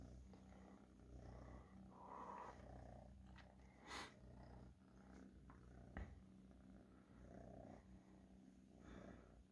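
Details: A domestic cat purring softly, a steady low rumble that swells and fades with each breath, with a few faint clicks and rustles indoors.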